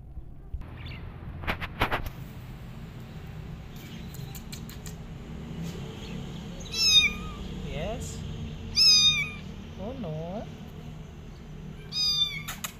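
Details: Kittens left alone, crying for their mother and looking for a nursing mother: high, thin meows with rising then falling pitch, about five cries spaced a second or two apart, louder ones at the end, over low room hum and a few knocks.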